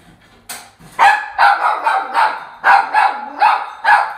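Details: A Toy Poodle barks excitedly in quick, high-pitched yips, two to three a second with uneven spacing, joyfully greeting its father-owner coming home, even late at night after waiting sleepily for him.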